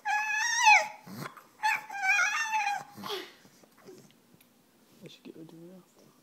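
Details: A female French Bulldog begs for her bone with two or three quick, high, wavering whines in close succession. They fade into quiet, with a few soft low sounds near the end.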